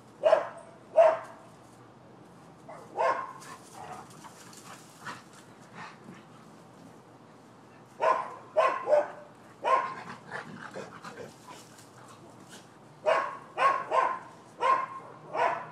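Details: Neighbouring dogs barking as a nuisance at a Florida property, dated 12/7/15: sharp barks come in clusters, a pair at the start, softer scattered ones, then two busy runs of four or five rapid barks, separated by quiet stretches.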